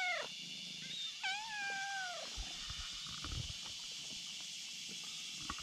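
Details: Two kittens on a bridge; one lying in front calls a black cat over with a meow. A brief falling cry, then a longer arched meow, followed by quiet rustling under a steady high-pitched buzz.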